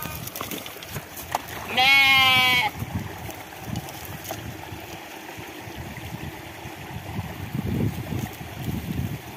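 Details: Himalayan ram rumble at Maikot, rams fighting. One loud, harmonic, nasal bleat of under a second stands out. Afterwards come quiet shuffling and a person speaking briefly against low background rustle.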